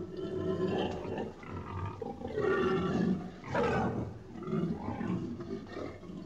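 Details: Pig giving deep, rough grunts and growling snorts in a continuous rumbling stream, with louder surges around the middle and short breathy pauses between bursts.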